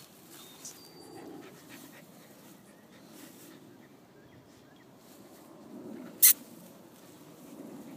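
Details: Rottweiler puppies breathing in soft, steady panting huffs, with faint thin whimper-like tones early on and one sharp click shortly after six seconds.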